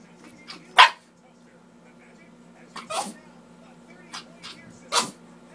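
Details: A chihuahua standing proud and tall on its hind legs, balancing while waiting patiently for treats, gives three short, sharp, high yapping barks spaced about two seconds apart over a steady low hum.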